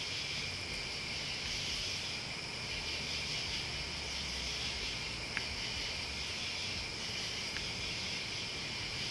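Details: Crickets and other bugs in a dense, unbroken chorus of high shrill trilling that holds steady throughout, with two brief sharp clicks partway through and a faint low rumble beneath.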